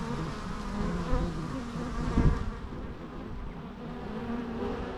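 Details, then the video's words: Buzzing bees heard naturally, a thick low drone with a couple of louder swells as insects fly near the microphone around one and two seconds, then settling to an even hum. "natural bee sounds"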